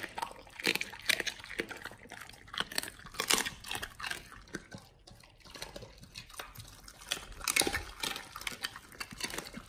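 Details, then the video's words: Raw-fed Pit Bulls eating a beef shank combo. Steady wet, squelchy crunching with loud bursts of bites, a brief lull near the middle, then heavy gnawing resumes strongly. "Pit Bulls eat Raw Beef Shank combo [ASMR] | BARF | MUKBANG 動物の咀嚼音 | 犬が生の肉を食べる"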